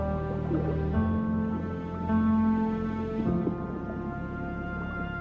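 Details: Soft, sustained instrumental music with steady held tones and no animal voices.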